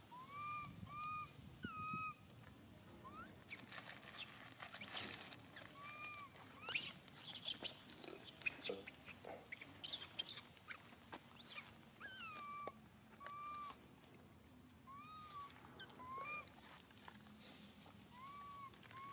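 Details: Cries of the baby monkey SUCA, hurt when Susan grabs him: repeated short arched wails, rising then falling, spaced every second or two, with bursts of clattering and rustling between them.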